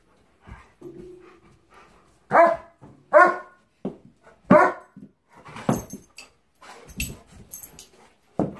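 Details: A Labrador and a German Shepherd indoors on a Sunday morning; short harmonic barks burst out in a loose series around the middle, with softer grumbles and whines between and some clattering toward the end.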